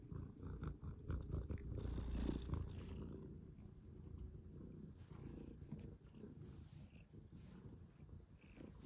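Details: Pet cat being played with indoors, wearing a new necklace, giving a low continuous purr. It is louder in the first three seconds with rustling, then softer rumbling with faint clicks.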